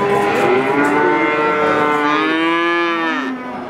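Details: Calf mooing in a long, nasal, strongly harmonic call that rises then bends downward near the end, held for about three seconds.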